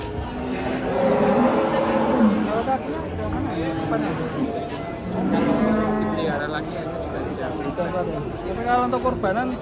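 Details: Large European-breed cattle being unloaded from a truck low repeatedly amid a busy mix of shouting people and music, the moos swelling near the start and again midway.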